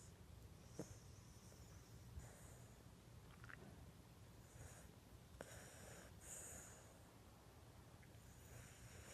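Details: Lhasa Apso named Bailey, sound asleep on a couch and snoring: soft, breathy, wheezy rasps that come and go every couple of seconds under a low indoor hum, with faint clicks and a quiet room.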